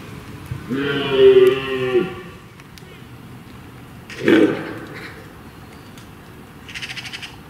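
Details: Red deer in the rut, hinds and stags wading across a stream toward woodland: one harmonic, moaning roar of about a second, followed by a short sharp grunt and faint rustling.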